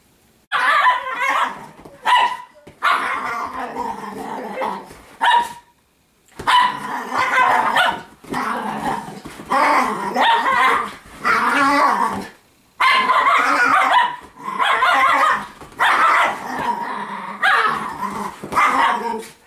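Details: Italian Greyhound girls roughhousing together in normal everyday play: gargling, grumbling growls in bouts of one to two seconds, rising and falling, repeated almost without pause with brief silent gaps.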